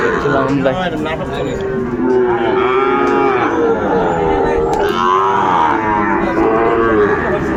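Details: At the Ambari livestock market, Sahiwal bull calves offered for sale on 22 April 2024 low repeatedly. Wavering, overlapping moos follow closely one after another without a steady rhythm, set in dense background bustle from the market.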